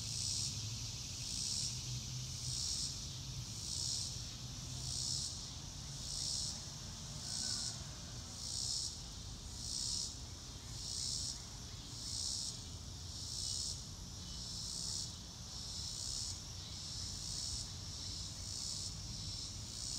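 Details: Crickets chirping in a calm nature setting, a high, pulsed trill repeated steadily about once every second throughout, over a soft low rumble of background noise.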